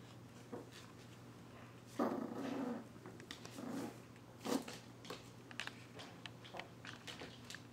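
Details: Two-month-old Yorkshire Terrier puppy named Rémi, indoors, reacting to his reflection on first seeing a mirror: short low growling, whining bursts near two seconds, again around four and four and a half seconds, in a quiet small room.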